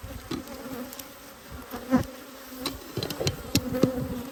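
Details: Close-up hive inspection of honey bees, 19 March 2022: continuous low, even wing hum with a soft upper harmonic, interrupted by irregular taps and clunks, loudest near the end of the short stretch.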